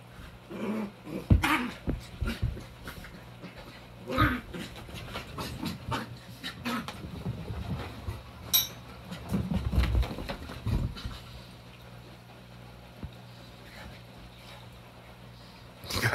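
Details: Sassy, vocal puppy playing indoors with another dog, Sadie, during quarantine in May 2020; repeated short growly barks and grunts in bursts over the first eleven seconds, then quieter panting and shuffling, a final sharp bark.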